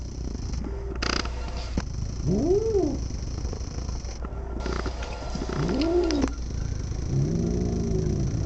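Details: Pet cat making a weird noise: two short, low, arched moaning calls about three seconds apart, each rising then falling, then a softer wavering call, over a steady low hum from the camera and some rustling.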